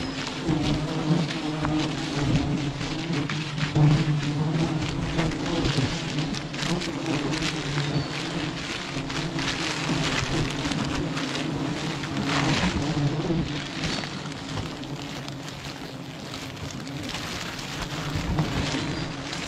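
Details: Bees swarming around a beehive tree holding 11 hives: a steady low droning hum runs throughout, overlaid by scattered sharp clicks and rustling knocks.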